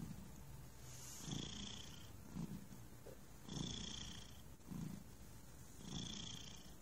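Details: Thunder, a relaxed cat, purring steadily: low rumbling pulses with a soft breathy hiss at each breath, cycling roughly every 1.2 seconds.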